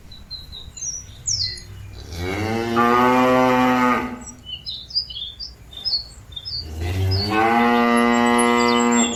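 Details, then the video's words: Cattle mooing to call companions back to the pen: two long, deep, rich moos, each about two seconds, separated by a quieter pause, with small birds chirping and twittering throughout. "Suara sapi lembu memanggil kawan nya balik ke kandang"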